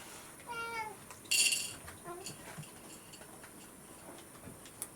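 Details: Rescued pet cat asking for its breakfast when its owner sleeps in; a single clear, slightly falling meow early on, followed by a sharp metallic clink and quiet indoor shuffling under a faint high tone.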